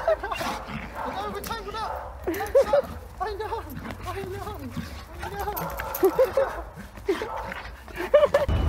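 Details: German Shepherd, excited at reunion with its owner after just over two weeks apart; high, rising and falling whines and yelps come in short runs, over a man's warm, steady talk.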